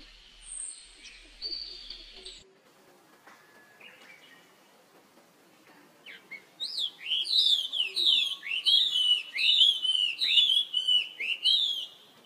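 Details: Young monkey calling for help as his older sister runs off fast; after faint, scattered cries, a loud series of shrill, arched, rising-then-falling wails repeats about twice a second through the last six seconds.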